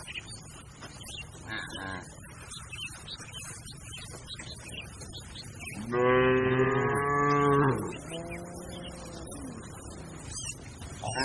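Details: From a herd of grazing cattle, a strong moo of under two seconds is followed directly by a softer, fading second moo, with quieter lowing earlier and a busy background of faint chirps.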